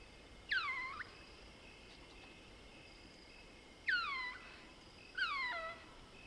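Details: Mohol's bushbaby, a lesser bushbaby, calling at night in the Soutpansberg range of South Africa: three harmonic squeaking cries that sweep down then bend up, spaced a few seconds apart over quiet bush.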